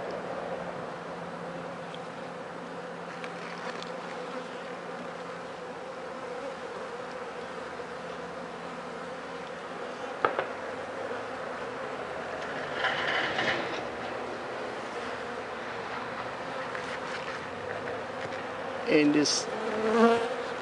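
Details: Honey bee hive humming continuously over about twenty seconds, with many dead bees wet from four days of rain in front; the steady drone is broken by occasional clicks, knocks and rustling handling noises.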